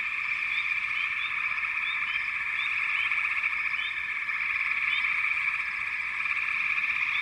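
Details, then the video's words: Chorus of frogs forming an unbroken, high-pitched trilling hum, with brief chirping notes popping out here and there over the constant wall of sound. "canto de Ranas"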